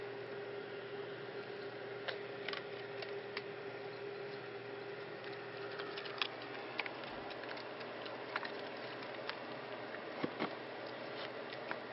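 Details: Quiet indoor room tone with a steady hum and scattered soft clicks and taps, with no animal vocalisation.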